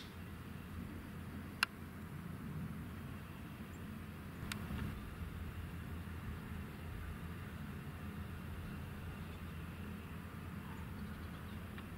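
Steady low rumble like distant traffic, broken only by two sharp clicks, with no bird or other animal calling.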